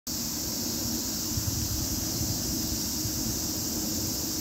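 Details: Cicadas singing: a steady, unbroken high-pitched hiss holds at one level throughout, over a broad wash of background rumble and noise.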